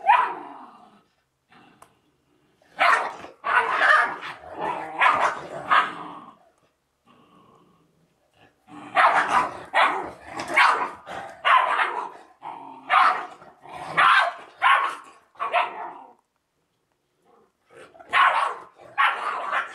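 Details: A Georgian Shepherd Dog puppy and its mother fight, giving bursts of deep, rough barks mixed with growls, with brief pauses between.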